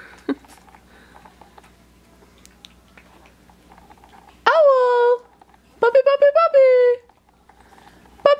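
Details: Three-week-and-five-day-old Australian Shepherd puppies tasting mush food for the first time, inside: after soft background rustle, one long falling whine, then a run of short stuttering whimpers leading into a drawn-out descending cry.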